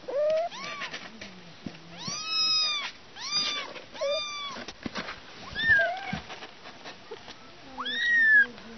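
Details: Kittens and their mother give a run of arched, wavering mews, some short and some drawn out, between quieter pauses, with low murmuring voices in the background.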